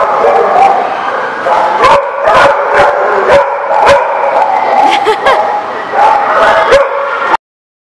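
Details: Several dogs barking together, recorded 24 November 2017: overlapping loud barks and higher yips in a steady din, with sharp individual barks standing out every second or so before the sound stops abruptly near the end.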